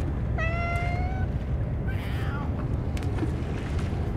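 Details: Stray cats gathered in greater numbers than usual, fed only Ciao Churu treats after the food and dishes were forgotten; a clear drawn-out meow, followed by a second shorter, falling meow, over steady low rumbling background noise.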